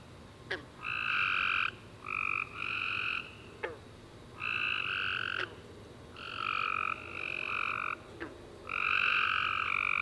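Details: Tree frogs singing after a warm rainy summer day at night, overlapping callers giving a rapid series of short buzzy notes, roughly seven bursts in ten seconds, with a few sharp clicks between them.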